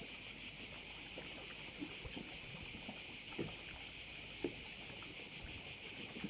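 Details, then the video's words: Shrill, continuous cricket chorus beside a bay in Korčula, throbbing in rapid pulses around three per second, with faint low knocks and splashy thuds in the background. "view of one of the bays in Korcula with sounds of crickets"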